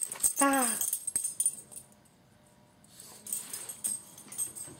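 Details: Puppy, a male praised as a good boy, gives one short harmonic whimper that falls slightly in pitch over half a second, followed by rustling, a faint tonal hum and soft handling noise.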